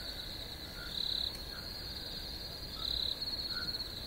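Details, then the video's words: Crickets keep up a high, even drone, with two rattling pulsed chirps rising above it and a few quiet lower notes. "Crickets Chirping"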